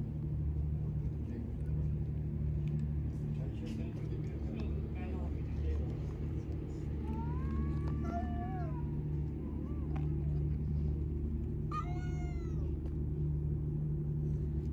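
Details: Street cats met on a morning walk, hungry and meowing for attention and affection; two drawn-out, wavering meows, the second higher and sharper, over steady low traffic rumble and background human voices.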